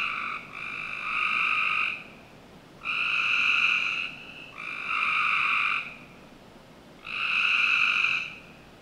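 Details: On a summer night in a Northern Virginia backyard, frogs repeat resonant, buzzing trills of one to two seconds, about every two seconds, against faint steady background noise.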